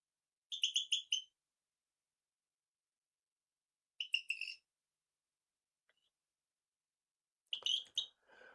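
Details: A male Rio Grande chirping frog in Texas gives its advertising call to females: high, bird-like chirps in short bursts at irregular, unevenly spaced intervals, a frog heard in gardens with moist soil.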